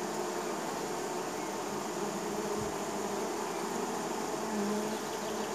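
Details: Neighbor's honey bees landing at their hive in spring, a thick steady hum of many wings, with a passing bee's louder drone swelling near the end over a constant buzzing background.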